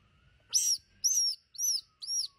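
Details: Two squirrels found tangled in a mess as a man tries to free them. Four sharp, high, arching squeaks come in quick succession about half a second apart, over a faint thin steady whine.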